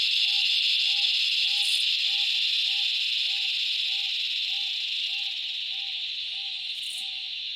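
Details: In the Australian bush in summer, a chorus of cicadas fills the air with a loud, unbroken, shrill buzzing drone, with a soft repeated note beneath.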